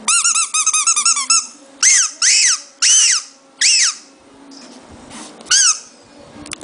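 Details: Shih Tzu puppy's strange noise: a quick chattering run of tiny squeaks, then several longer, shrill, arching whines separated by short pauses, with faint rustling in a quiet room.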